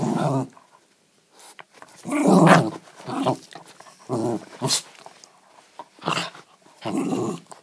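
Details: Pet West Highland White Terrier indoors in a small room, wanting to play but refusing to give up the ball; rough, throaty growls come in bursts of about half a second, separated by short pauses and soft thumps.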